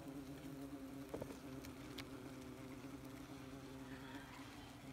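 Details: Close to a busy wasp nest, a continuous low buzzing drone with stacked harmonics runs throughout, broken by a few sharp clicks and taps around the middle.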